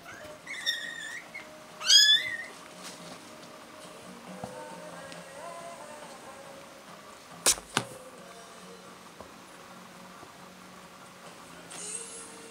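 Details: Kittens from a newborn litter born on 4 March 2018: one female in black torbie white and two males, black tabby white and solid black. Two short, high, rising mews sound near the start, then near-quiet room background with faint tones and one sharp click.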